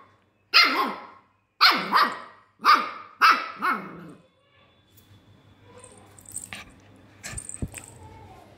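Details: , a Pomeranian dog playing, gives four sharp, bright barks in quick succession over the first four seconds, each with a short trailing tail, followed by quiet rustling and faint background noise.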